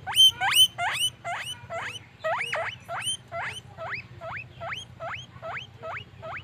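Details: Happy pet guinea pigs wheeking: loud, overlapping upward-sweeping squeals at first, settling into a regular run of single rising squeaks, close to three per second, over a low background hum.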